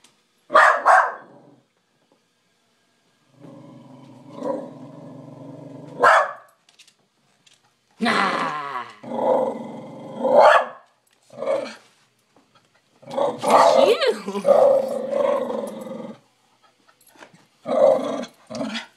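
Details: Pet dog indoors in a small room, barking at its own reflection as though it were an intruder: bursts of harsh barks mixed with long low growls, about fourteen outbursts a minute, irregular.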